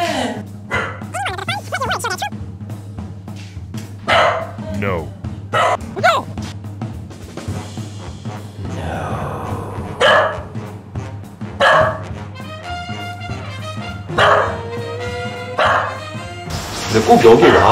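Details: A Shiba Inu barks loudly at the ceiling in the dark in short, sharp bursts, a habit that began after a move to a new home. A woman scolds him over background music, and the owner suspected the place was possessed.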